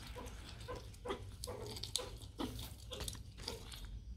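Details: Three meerkats at enrichment feeding, "fishing" for food, give short low grunts repeated roughly every half second, mixed with soft knocks and splashy clicks.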